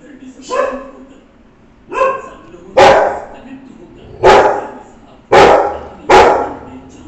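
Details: A female Rottweiler on guard in Varanasi barks angrily, with deep, harsh barks in short, irregular bursts.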